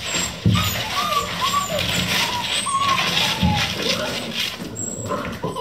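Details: At 3:00 AM, eleven Vizsla puppies playing non-stop whine and squeal in short, high, sliding cries over a busy background of scuffling.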